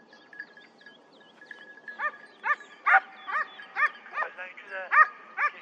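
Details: Hunting hounds on a hare chase at the 2023-24 season opening in Turkey: after a quiet start with faint voices, a steady series of arched, ringing bays begins, about two or three per second, until the end.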